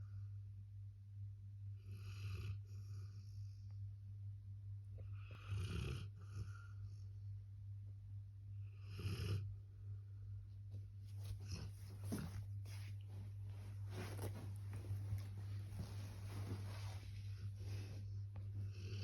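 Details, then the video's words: Sleeping Labrador Retriever snoring, raspy breathy snores at roughly three-second intervals, then a denser run of rustling, breathy noise in the second half, over a steady low electrical hum. "Snoring labrador in sleep"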